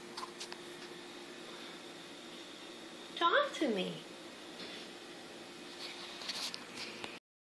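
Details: A vocal black Siamese cat (Felis catus), talking back as its owner urges it to talk, gives a single drawn-out meow that starts high and slides down in pitch.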